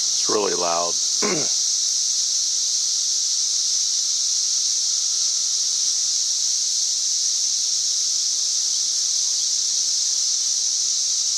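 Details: A loud, steady, high-pitched cicada drone reaching about 90 decibels from cicadas up in the trees on May 31, 2024, never letting up, with a brief human voice at the start.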